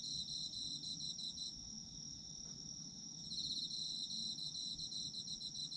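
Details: Autumn insects in a sleep ambience, a dense chorus of shrill high chirring bands, one pulsing steadily and another sustained, with a pause in the pulsed layer near the middle; low rumble beneath.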